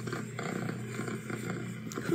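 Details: Orange tabby kitten purring softly indoors while reacting to a recording of its own purring; a steady low pulsing rumble runs throughout, with a person's soft speech nearby.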